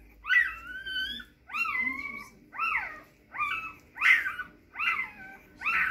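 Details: Young Rhodesian Ridgeback puppies crying in a series of six drawn-out whines, each a high wavering squeal bending up then sliding down, spaced about a second apart with brief pauses between, no other sounds intruding.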